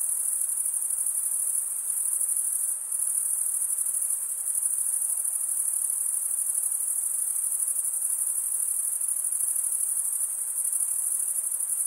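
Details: Crickets chirping by running one wing over the comb-like teeth of the other; an even, high-pitched trill continues without a break, with only a slight momentary dip near the third second.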